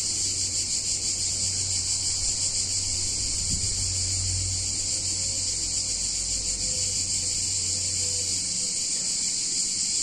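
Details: Cicadas singing on a hot summer day in a picturesque Italian town: a dense, unbroken high buzzing drone from many insects, with a low steady hum underneath and a brief thump near the middle.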